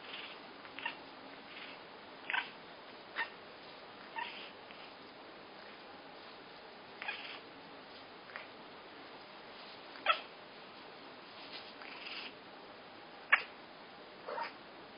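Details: Female pet cat indoors making odd short calls whenever shown a toy: brief scattered chirp-like yelps and meows, irregular, about one every few seconds, some sharper and louder, over quiet room hiss.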